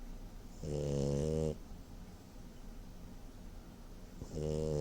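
A French bulldog snores in deep, rattling, harmonic-rich rasps with a quiet pause between breaths.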